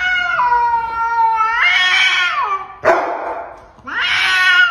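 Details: Pet cat from a compilation of funny cat moments, giving loud, drawn-out wailing yowls indoors; a long howl bends up and down, breaks into a harsh rasp, then rises into a second strained wail.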